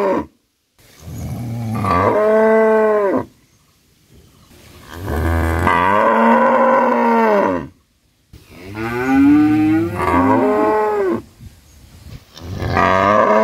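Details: A cow gives long, loud, drawn-out moos, each a rich lowing call with strong harmonics.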